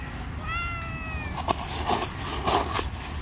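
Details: A hungry stray street cat comes running at a familiar voice and gives one clear, drawn-out meow that slides gently downward, followed by scuffing and rustling against steady outdoor background noise.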